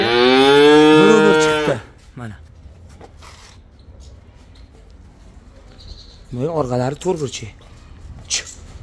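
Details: Simmental bull calf offered for sale, giving one loud, steady, low harmonic moo lasting nearly two seconds, then cut off, followed by faint scattered voices and short rising-and-falling vocal bursts near the end.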